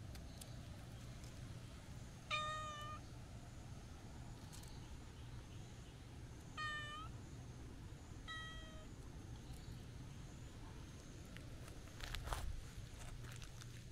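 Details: Stray cats at a Japanese shrine, a black cat out walking and a friendly black-and-white tuxedo cat: three clear meows with bright harmonics, each slightly rising then falling, spaced a few seconds apart over steady low traffic-like hum.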